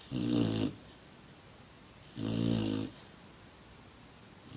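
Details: Six-month-old black Lab snoring: two loud, rattling snores lasting under a second each, roughly two seconds apart, low and throaty with a hissing breath layered on top, quiet between them.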